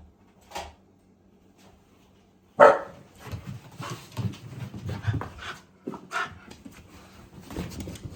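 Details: Haru, a female Shiba Inu from the countryside, delighted that her brother is staying over; a sudden loud yelping whine, then a run of excited huffing, panting and soft whimpers in a small room.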